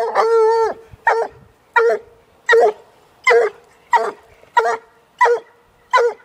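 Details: A one-year-old female Walker hound works a caged raccoon: one long sustained bawl opens, then clipped, evenly spaced barks follow about every two-thirds of a second.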